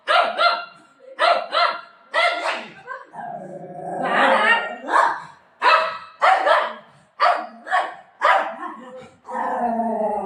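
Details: Buzo, a Golden Retriever, protests at being told it will be left: a run of short, harmonic, yowling barks in quick bursts, with one longer moaning howl near the middle, indoors amid a woman's talk and laughter.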